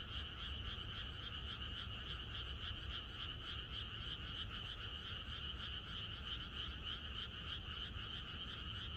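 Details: Many frogs in chorus in the countryside on the night before rain: an unbroken wall of rapid, overlapping croaks, shimmering in two bright pitch bands, with a low murmur beneath and no pauses.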